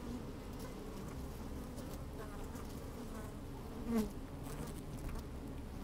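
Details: Inside an opened beehive on a sunny, slightly windy day, honey bees move about and buzz: continuous low droning hum, a short louder buzz swelling around the fourth second, faint ticking taps throughout.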